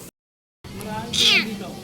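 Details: Trapped kitten, paws pinned beneath a vehicle, lets out a short plaintive meow midway, arching up then falling, while a woman speaks pityingly in Tagalog.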